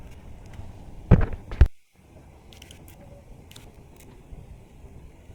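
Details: Low rumbling handling noise and a couple of thumps, with no clear animal calls.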